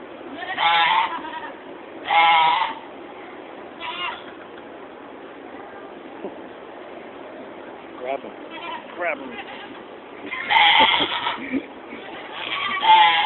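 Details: Penned goats at the 2015 Georgetown, Illinois fair bleat in short, shaky bursts, two close together at the start and more near the end, amid human chatter and general barn background noise.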